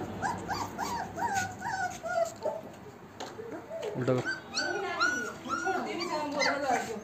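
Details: German Shepherd and Rottweiler puppies in Jaipur, Rajasthan, India, whimpering and yipping in high, wavering, falling cries repeated many times, several overlapping, while people talk and handle them nearby.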